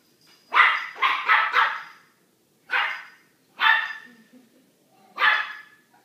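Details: A little dog barks repeatedly at a large dog on the other side of a door, giving a quick run of three sharp barks followed by three single barks spaced about a second apart, in a quiet room.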